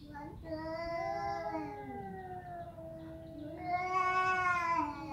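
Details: Cat meowing in two long, wavering cries. The first is steady, then dips. The second comes after a short gap and is higher and louder.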